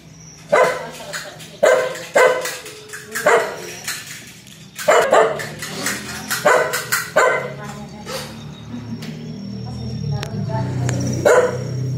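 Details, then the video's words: An aggressive dog barks fiercely. Loud, harsh, broadband barks come singly or in short bursts at irregular intervals of about a second through the first eight seconds. The barking then fades, leaving a steady low hum and a thin tonal whine. "Suara anjing galak menggongong_dog sound"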